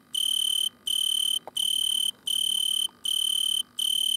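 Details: An Italian tree cricket sits in a butterfly bush at night, filmed stridulating under a red lamp, and sings a pure, high trill in half-second bursts separated by brief pauses.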